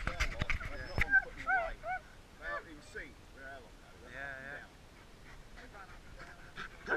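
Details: Excited dogs welcoming their people back after a 3.5-week absence in Kamchatka, giving warbling, wavering whines and short yelps in quick succession, with clicks and knocks at the start and human voices faintly mixed in.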